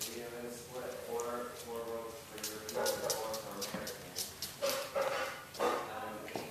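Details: Six English Bulldog puppies with their mother, eating and playing, whimper and yip in thin, wavering cries, with a person talking nearby.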